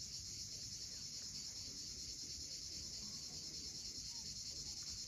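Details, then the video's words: Crimean coastal cicadas calling at sunset, Cape Fiolent: a continuous, bright, rasping buzz with a rapid fine pulse, steady in loudness, with only faint low surf beneath it. "Cicadas at sunset."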